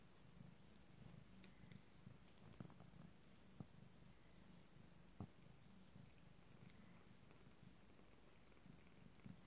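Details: Abyssinian cat litter, 19 days old, during intimate grooming: a low continuous rumbling purr runs through the whole recording, with scattered soft clicks and rustles from handling or licking.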